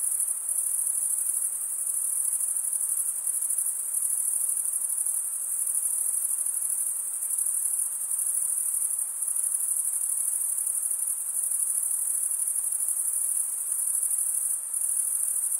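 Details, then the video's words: Many crickets chirp through a summer night in the forest, forming a long steady high-pitched ringing drone with small brief dips in loudness; no other sound intrudes. "Pure cricket music for 20 min"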